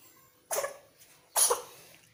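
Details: Pregnant cat sneezing indoors: two sharp, breathy bursts less than a second apart, each a brief hissing blast, with little other sound in a quiet room.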